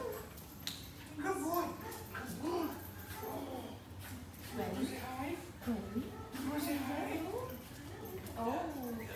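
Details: Havanese dogs Gwenie and Ranger reunited with their owners after training; excited rising-and-falling whines and whimpers come repeatedly, overlapping with people talking.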